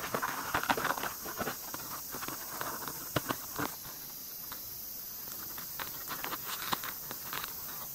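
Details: White-spotted longhorn beetles mating, heard at close range: a cluster of crisp ticks and rustling scrapes early on, then sparser isolated clicks against a quiet background hiss.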